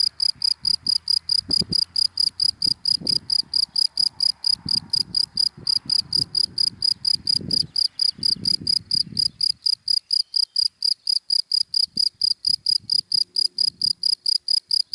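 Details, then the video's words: Cricket chirping in dry grass in the daytime: steady high-pitched pulses repeated about four times a second throughout, with low rumble of passing cars in the first ten seconds. "Sound of Cricket in Dry Grass in the Daytime"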